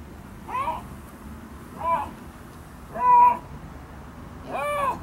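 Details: A captive Siberian lynx at Hamura Zoo gives a series of drawn-out, arched, meow-like cries about a second apart.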